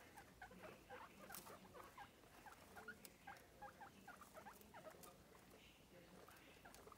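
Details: Several pet guinea pigs, energetic in their playpen: a rapid run of short, high squeaky chirps repeating unevenly over about seven seconds, mixed with soft scuffling and patter of feet.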